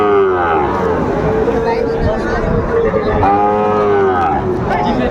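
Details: Sahiwal bull calves for sale at a market in Kushtia, Bangladesh, 2 August 2024; steady, sustained lowing, with a long moo followed by a second one, over background voices.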